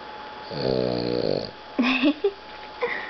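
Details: Boston Terrier Rocket naps after play in the hot sun, one rattling buzzy snore lasting about a second followed by short clicks and a soft whine-like sound.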